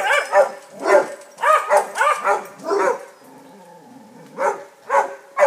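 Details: A neighbouring St Bernard visits Basset Hounds wanting to play; dogs give bursts of loud, ringing barks in quick pairs and triples, then a brief lull with low whining before single barks resume.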